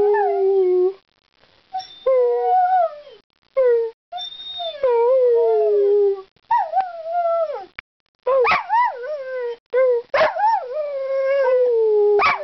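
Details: Ireland the dog 'talking' in bursts of wavering, rising and falling howl-like tones, broken by short silences, with several sharp yips that swoop upward near the end.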